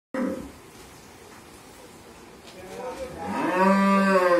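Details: A Mundi breed cow on a dairy farm in Bhangura, Pabna, Bangladesh, nine months pregnant with her first calf, lets out a rising, rich harmonic moo that swells loudly toward the end after a noisy quiet stretch.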